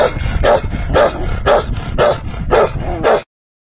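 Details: Bakarwal dog barking: deep, gruff barks repeated roughly every half second, seven in a row, with no other sounds, ending abruptly.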